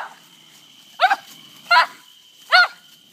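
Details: Charlie, a terrier, barking at an opossum during a night fight outdoors: three loud harsh barks spaced under a second apart against a constant high hum.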